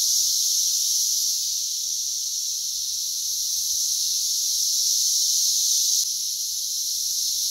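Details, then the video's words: Brood X periodical cicada emergence in West Virginia, June 2021, with cicadas crawling everywhere; a steady shrill chorus like rushing steam, nearly constant throughout, with one faint click. "Brood X Cicadas - Loud and plentiful"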